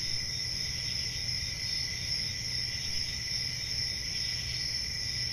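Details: Many crickets calling at once, a constant high, ringing trill holding the same pitch throughout, with a quiet low background rumble.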